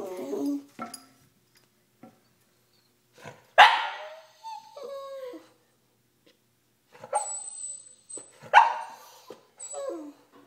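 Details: Jealous Boston Terrier left behind while its owner walks a toy fox terrier, giving short high whines broken by a couple of sharp, harsh barks, with silent gaps between bursts.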